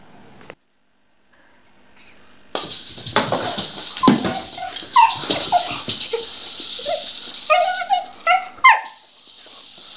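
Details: Luna, a pet dog, plays with her beloved rattle ball, giving repeated high whimpers, yips and short barks after a quiet start, over continuous rattling and rustling noise from the ball.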